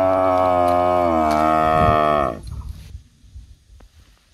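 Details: Cow moo recorded in a palm oil plantation where cows are suckling; one sustained, steady, deep lowing call lasting over two seconds, ending abruptly, followed by quiet rustling.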